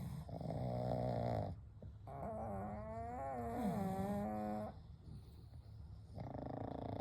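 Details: Three pugs named Kou, Gen and Shun sleeping together indoors at night, snoring gently: long rasping snores with a wavering, harmonic tone, two drawn-out breaths then a third starting, with quiet gaps between.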